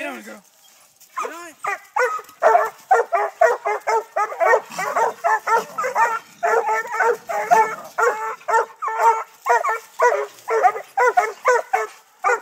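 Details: Six-month-old Treeing Walker Coonhound puppies barking at a live-trapped raccoon up a tree during hunting training in Texas. Dense, loud, ringing barks come about twice per second with chopped, overlapping voices and brief pauses.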